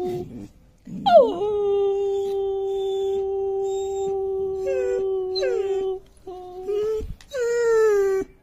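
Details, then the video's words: German Shepherd puppy, five months old with a long coat, howling in response to a bothersome sound: a rising onset into a flat sustained wail lasting about five seconds, then short broken howls. "German Shepherd Puppy Howling!!!"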